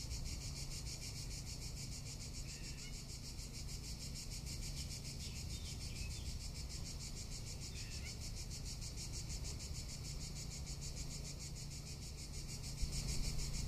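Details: Tuscan summer cicadas keep up an unbroken, shimmering high buzz with rapid pulses; a few faint bird chirps slip in midway, and a brief knock sounds near the end.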